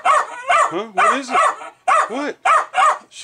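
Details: Pet Jack Russell Terrier Milo barking at bubbling fermenting beer; rapid yappy barks, some with rising-falling whine tails, closely overlapped by a man's voice calmly asking what is wrong.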